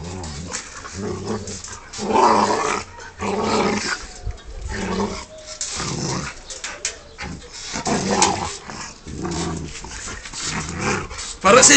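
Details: Rottweiler playing with a person indoors, giving rough, rumbling growls in bursts with short pauses, mixed with a man's excited voice and laughter.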